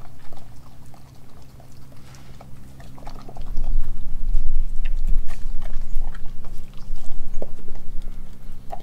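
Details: Australian Kelpie and German Shepherd mix dog eating raw beef liver, beef heart, chicken feet and chicken thigh. Wet chewing, smacking and crunching come in irregular bursts, growing louder after about three seconds over a steady low hum.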